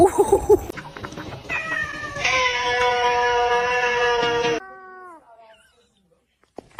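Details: Pet cat with short wavering cries, then a sustained yowl held level for about two seconds under a hissy noise wash before bending downward and fading into quiet.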